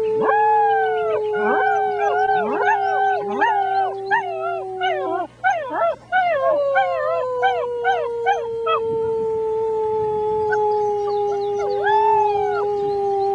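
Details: A chorus of six-week-old German Shepherd puppies howling with a human: quick, bouncing, arched yelps over a sustained, gradually falling howl that carries through to the end.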